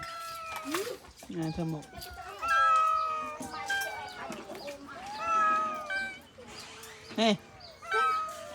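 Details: Abandoned cats, hungry and waiting to be fed, give drawn-out wavering meows, several voices overlapping in bursts, with a short sharp cry near the end and a woman's Khmer speech in the background.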